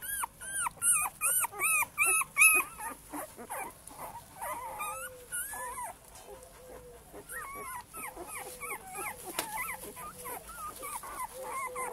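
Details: Male Cane Corso puppies in a kennel litter: loud, shrill, rising squeals burst in a quick series at first, then many softer overlapping whimpers and yelps continue unevenly to the end.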